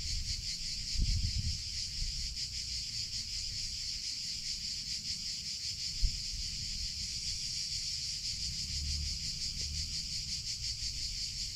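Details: A steady, piercing drone from summer cicadas that holds unbroken for over eleven seconds, with scattered low thumps and a sharp click midway.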